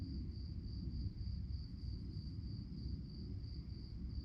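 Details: Night-time crickets chirping: a thin, high, evenly beaded chirp repeated rapidly without pause, heard above a heavy low rumbling background.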